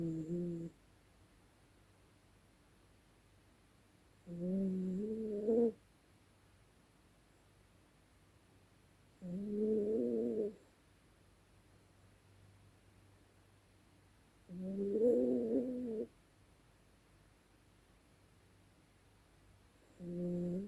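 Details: Dezi the dog snoring loudly while asleep at night indoors: drawn-out, nasal, tonal whines about a second long, recurring roughly every five seconds, with quiet low hum between breaths.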